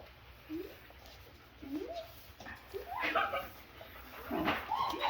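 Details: Five-week-old Double Doodle puppies giving short, rising whimpers and yips, spaced roughly a second apart and growing louder toward the end, while soft human voices murmur in the background indoors.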